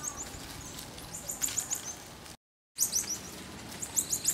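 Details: Marmosets interacting socially, giving rapid clusters of very high, sharp chirps and short twitters, with a brief silent gap midway and soft background hiss throughout.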